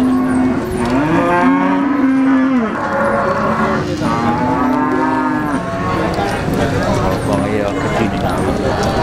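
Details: Cattle at the Jetis cattle market in Ponorogo, Indonesia, ahead of Eid al-Adha, August 2018, including a Limousin bull: drawn-out, low, droning moos, several overlapping and bending in pitch, over steady crowd chatter and market noise.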